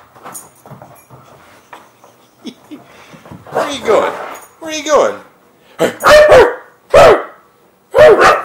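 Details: Siberian Husky indoors on a bed during zoomies, giving loud harsh barks and yelps in bursts about once a second toward the end, with a woman talking to the dog throughout.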